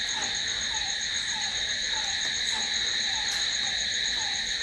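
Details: Crickets at night: a steady, dense high-pitched trill rings on without pause, layered in several shrill bands, while a lower short peeping note repeats about every half second underneath.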